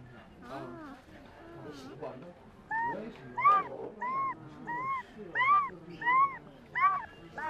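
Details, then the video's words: Puppy dreaming and making sounds in its sleep: a series of high, arched whimpering yelps. Each rises and falls in pitch, about one every half second, starting soft and getting louder. "Puppy dreaming and making cute/weird sounds"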